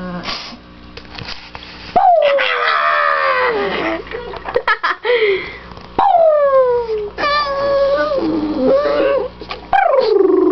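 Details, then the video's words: Victoria the dog howls with joy as her owners come home indoors: repeated loud descending howls, some quavering and broken into yips, in several bursts across the recording. "Victorias Happy Howls"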